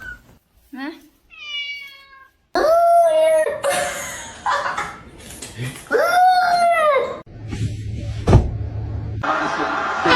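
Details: Domestic cat in a funny cat compilation, indoors, giving drawn-out harmonic meows, some rising then falling, between bursts of human speech and laughter, with a low hum in places.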